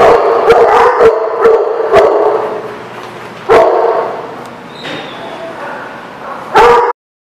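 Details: Dogs at a dog lot, recorded 10/5/19, barking and yipping together: sharp repeated barks over a steady chorus, a few louder bursts, ending abruptly.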